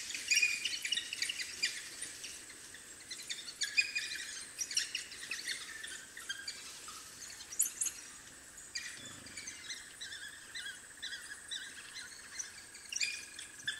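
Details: At their den, several African wild dog puppies give bursts of shrill bird-like twitters and squeaks, louder early on, then scattered sharper chirps, over a constant high insect hum.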